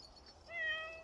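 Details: A dog-like pet cat lets out a single clear, drawn-out meow, starting with a slight rise then holding level and fading, in a quiet room.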